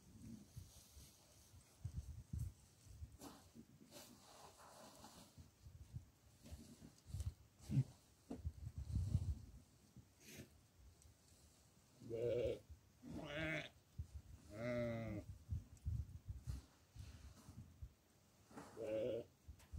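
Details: Goat fed barley; several quavering, tremulous bleats come in a cluster past the midpoint, preceded by low rumbling and rustling handling noise.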